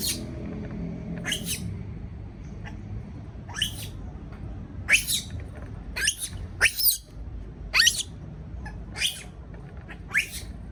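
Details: Baby monkey scared at being left by itself in a cage: repeated thin, rising shrieks, about a dozen, roughly one per second in the second half, over a low background drone.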